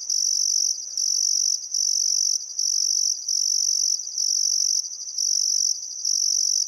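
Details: Summer sunset chorus of crickets by a river in Welford National Park, Outback Queensland: steady piercing high trills in long surges separated by short pauses, nothing else prominent.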